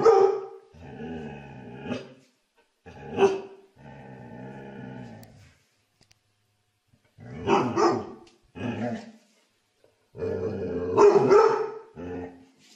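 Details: Dog giving loud, throaty barks mixed with longer, drawn-out, whining bark-howls, in uneven bursts separated by short silences.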